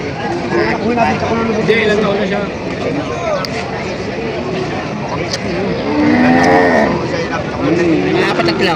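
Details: Herd of market cattle at Padre Garcia, Batangas, on July 17, 2026. Several overlapping moos, some low and some higher and rising, come from different animals through a dense background of people talking.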